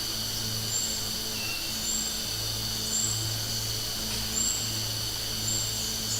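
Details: Summer cicadas sing a steady, high, shrill buzz that runs without a break, with a faint low hum underneath.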